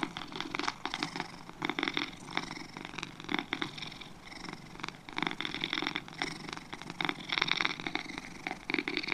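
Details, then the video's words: Domestic cats, two of them, purring continuously; a rough buzzing texture pulses in quick regular waves with brief stronger flares, recorded close with a quiet background. "2 Cats Purring"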